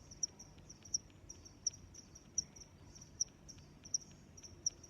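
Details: Cricket chirping in a relaxing nature setting: sharp high-pitched chirps repeating about every 0.7 seconds in a steady pulse, with fainter trilling from other crickets between them over a quiet low background hiss.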